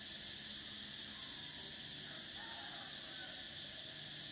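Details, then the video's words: Shrill cicada song forms a constant high whine; partway through, the top voice drops out and another carries on a little quieter, with faint low background noise. "Cicadas: the sound of summer"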